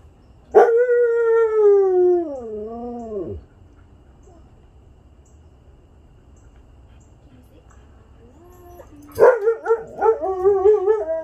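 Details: Siberian huskies, a group of pet dogs gathered with a visiting friend on a Sunday, howling: one long wavering howl that starts steady, then dips and wobbles for about three seconds, a quiet gap, then overlapping yodelling howls from several dogs.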